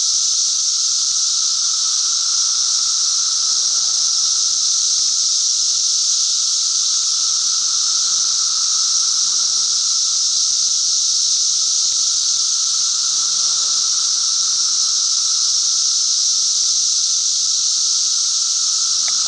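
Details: Cicadas singing: a loud, unbroken shrill buzz that holds steady throughout, with a thin, even lower whine running beneath it and no pauses or other animals.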